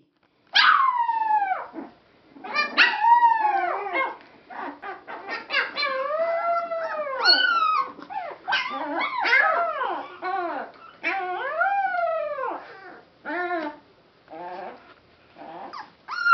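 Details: Rescue Boston Terrier–Pit Bull mix puppies from Roxie's litter give high, arching whines and yelps, overlapping in quick succession.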